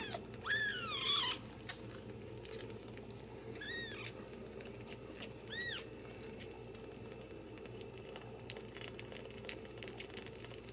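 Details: Ragdoll kittens, born and raised indoors without cages at a central Kansas cattery: one drawn-out wavering high mew opens, followed by two shorter arched mews spaced a couple of seconds apart, with low hum behind.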